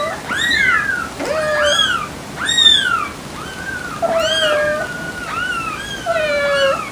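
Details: Several kittens meowing over one another, with overlapping high, arching cries that rise and fall, some drawn out and others short, coming every second or so against a faint hiss.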